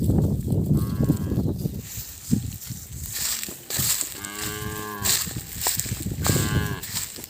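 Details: Calves crying out after separation from their mothers: rough, loud handling and rumbling noise at first, then two clear, wavering bleats about two seconds apart, each roughly a second long.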